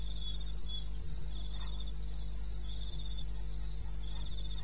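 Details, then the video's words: Wild crickets calling at 2:30 a.m. on 21 May in the wilderness of eastern Botswana: two high, overlapping chirp trains pulse steadily in short bursts, a few faint thumps sounding beneath a constant low hum. "1 Hour cricket sound"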